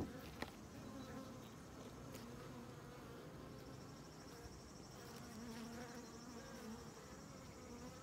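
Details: Honey bees around comb honey, filmed without commentary; a steady, low droning hum from many insects continues unbroken, with faint clicks and slight rises in intensity.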